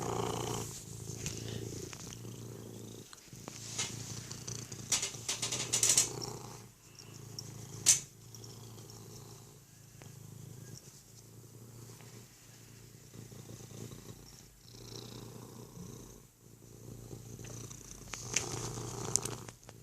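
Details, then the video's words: Domestic cat purring with hiccups, a soft low continuous rumble with rhythmic pulses, occasional quiet breaks and faint rustling and clicks from handling. "Hiccup purrrrrrs"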